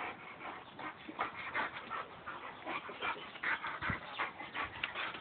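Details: Play-fighting in mud between a Boxer and a Labrador: rhythmic panting-like pulses roughly two or three per second, broken by thin whining yelps and scuffling noise.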